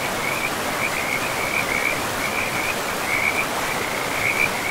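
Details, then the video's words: Frogs calling by a river in a pristine forest with moss-covered land, short bright chirping notes repeated roughly every half second over a steady rushing of flowing water. "River and Frogs sleep sounds"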